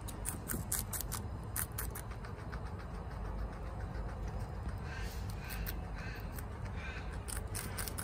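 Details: A female guinea pig, Chia, eats bok choy rapidly indoors. Steady crisp crunching and clicking bites throughout, some louder scraping near the middle, over a low continuous hum.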